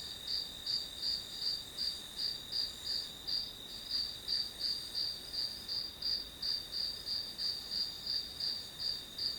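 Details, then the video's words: Grass insects chirping as white noise for a study session: a high, shrill pulsed trill repeating nearly three times a second over a steady high drone, with no other sounds. "풀벌레 소리"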